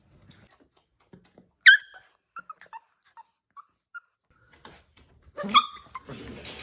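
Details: Staffordshire Bull Terrier puppies playing indoors: a sharp yip, then scattered soft squeaky whimpers, ending with a louder cluster of yelps and rustling scuffle noise.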